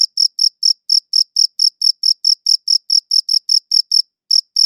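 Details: High-quality recording of crickets chirping: sharp, high-pitched pulses at about four per second, slightly uneven, with one brief pause near the end before the chirping resumes; otherwise silent.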